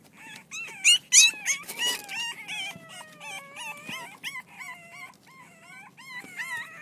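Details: Several six-week-old French Bulldog pups, Reddy's litter, at play, overlapping in a busy chorus of wavering high whines and sharp yips, some calls drawn out and sliding downward, with a few loud bursts.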